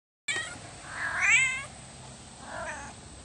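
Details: A pet cat being petted lets out one drawn-out meow that climbs and then falls in pitch, followed by a shorter, softer meow about a second later. The background is otherwise quiet.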